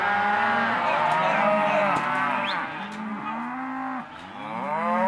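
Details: Auction lot 17 of half-tooth Hereford and Careta cows gives loud, rich moos that overlap and swell, with a couple of sharp clicks and a dip before a final rising low.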